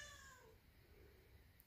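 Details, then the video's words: Siamese cat Cato gives a single loud, drawn-out meow that slides downward in pitch, calling from downstairs to get its owner to come down; the owner asks if it wants to go outside. "Loud Siamese Cat Meowing"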